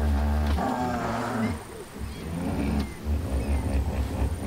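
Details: Wild hippopotamus at a watercourse in Botswana's Okavango Delta in early spring, where hippos spend most of the day in and under water; deep, throaty pulsed grunting with rich low harmonics for about a second and a half, then further rumbling grunts.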